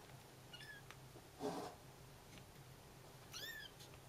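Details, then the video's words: Bengal kittens give thin, high, wavering mews, calling for their mother while she takes a short walk; she hears them and answers. "Baby Bengal cat babies calling mummy"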